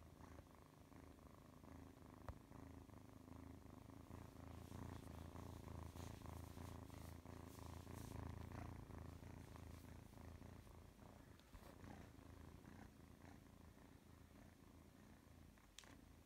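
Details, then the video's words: Deep, continuous purring from Oscar the cat, a low vibrating rumble pulsing with each inhale and exhale, interrupted by a few brief clicks and soft rustles. "Oscar is purring!"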